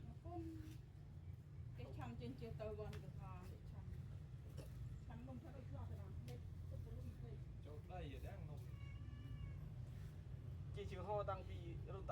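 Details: Mother cat feeding milk to her newborn kittens. The kittens mew repeatedly in thin, high, wavering cries, several quick ones clustered near the end. A steady low rumble runs underneath throughout.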